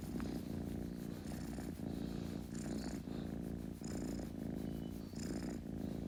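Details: A purring kitten gives a continuous deep, vibrating rumble, growing louder in waves roughly every second as it breathes in and out, with faint breathy hissing on top.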